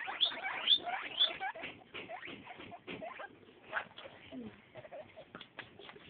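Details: Eight-day-old baby guinea pigs squeal three quick rising high squeaks in the first second, then fall to scattered clicks, soft chirps and low chattering squeaks.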